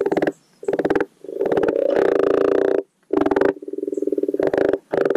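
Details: Garden pond common frogs croaking during spring spawning: deep, grinding pulsed purrs, some long and continuous, others clipped into short bursts, several frogs calling at once close to the recorder.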